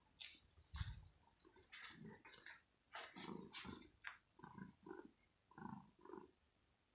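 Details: Morning play with Rosetta, a female kitten in her scratching home, annoyed by a finger and clawing: low growls alternate with breathy, hiss-like higher bursts, loud thump near the start.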